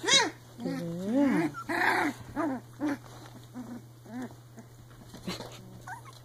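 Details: Playful three-week-old Icelandic Sheepdog puppies growling in a rapid series of squeaky, bending whines and yips, about one per second, some overlapping, fading toward the end over a faint steady hum.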